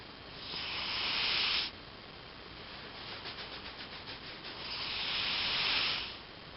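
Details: Elvis the house cat asleep and snoring: two long, airy, hissing breaths, separated by a short fluttering, rattling stretch of rapid pulses in the quiet room.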